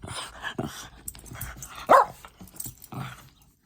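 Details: A dog gives one loud, sharp bark midway, with softer yelps around it, in the morning while birds sing, as a person repeatedly tells it to stop; the barking quiets the birds.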